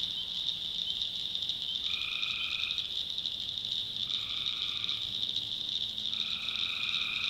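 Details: Night chorus of tree frogs in a North Carolina backwoods swamp. A shrill, unbroken high drone fills the background while lower buzzing trills of about one second come three times, roughly every two seconds.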